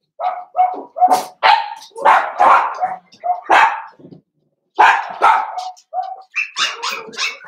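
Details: Litter of five blenheim Cavalier King Charles Spaniel puppies in an indoor home pen, born around New Year's; loud, rapid, bright yapping barks in quick bursts, one brief pause, then more overlapping yaps.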